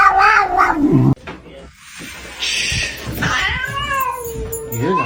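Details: Fighting cats: a wavering, harmonic yowl opens, then an abrupt cut, a broad hissing burst, and a long, low, drawn-out moaning yowl that slowly bends in pitch, with faint background voices.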